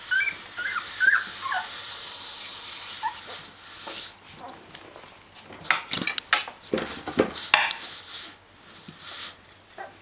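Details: Rhodesian Ridgeback puppies, D-litter, 14 days old, with their mother indoors: high wavering whines early on, then a busy run of short yips, squeaks and rustling handling noises.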